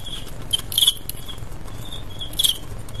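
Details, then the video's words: Male crickets in a staged cricket fight (adu jangkrik), two brief bright high chirp bursts standing out over a steady rustling, scratchy patter. "ADU JANGKRIK "cricket fight ""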